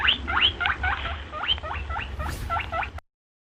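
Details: Rabbit. A rabbit gives a rapid series of short, high-pitched squeaks, each a quick sliding chirp, repeated about four times a second for three seconds. A low, steady hum runs underneath.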